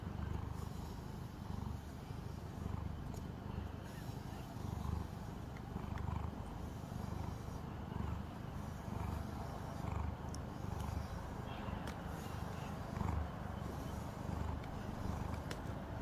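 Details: Calico house cat being brushed indoors, steady low rumbling purr pulsing roughly once a second throughout, soft and even, with faint room hiss above.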